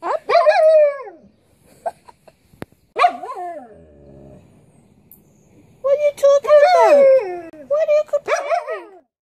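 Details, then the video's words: Complaining Siberian Husky kept as a pet gives long, bending howl-whines with warbling pitch, a quieter low rumbling stretch in the middle, then a sustained, modulated moan at the end. "Our husky complaining"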